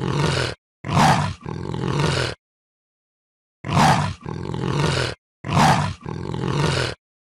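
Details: Rasping leopard roars in pairs: a short, sharp bark-like burst followed at once by a longer, grating exhalation, the pattern repeated three times with silent breaks.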